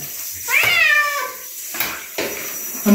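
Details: Domestic bobtail cat being bathed indoors, giving a single short, high meow that rises then falls, with splashing and handling noises afterwards.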